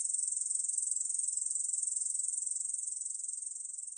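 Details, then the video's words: High, buzzy pulsed song of a Korean bush cricket, 2020 National Institute of Biological Resources recording, fast regular pulses running continuously and fading slightly toward the end. "중베짱이, 여러번 듣기, 곤충소리"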